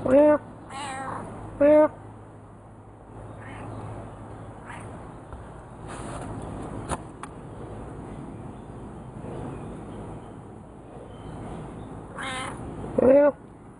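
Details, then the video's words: A pet cat named Frisky, a chatty kitty, trades meows with its owner: short harmonic meows near the start, another around two seconds and one at the end, with a person's voice murmuring softly between them. "Me & our other Cat Frisky having a nice converseation"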